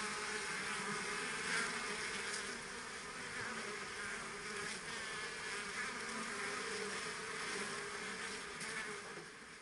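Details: Kept bees buzzing in a dense, unbroken hum: a steady low drone with a fainter higher overtone and a hiss above it, holding level for the whole stretch, as though many insects work together at once.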